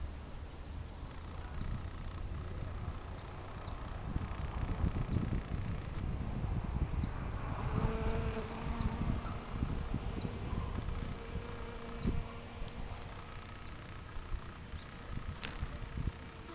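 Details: Honey bees of the European kind foraging on flowers outdoors in San Diego, California, USA on a sunny day; a low buzzing drone rises and fades as bees move about, mixed with rustling and handling noise.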